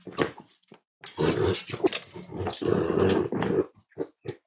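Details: Five-week-old Cavalier King Charles Spaniel puppies from Myra and Remy's litter at Red Barn Cavaliers, indoors. Low, throaty grumbling growls come in two sustained bursts of about a second each, set between short sharp yips and whimpers.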